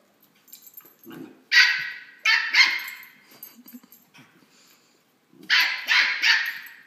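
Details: A female West Highland White Terrier puppy, playing and hopping around, gives high, sharp barks in quick bursts of two or three.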